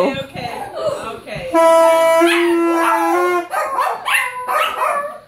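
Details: Pet Yorkshire Terrier 'singing' to a child's saxophone: a long held sax tone runs nearly two seconds, followed by rising and falling wavering dog howls, with some talking at the start.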